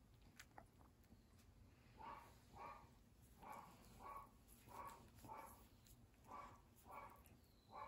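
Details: Dog giving a long run of about nine evenly spaced barks, each brief and mid-pitched, repeating a little faster than once per second over a hissing, rumbling background.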